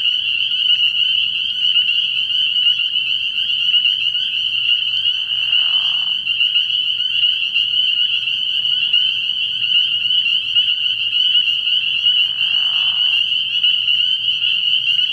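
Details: Early-year night at a frog pond: massed spring peepers keep up a piercing, steady high peeping, while a lower raspy sound rises twice briefly, and a faint low hum runs throughout.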